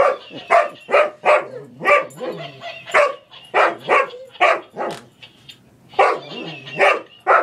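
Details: Boomer, a pet English Springer Spaniel, barks while wrestling with a toy monkey that laughs at him: short, sharp barks in a steady string, about two every second.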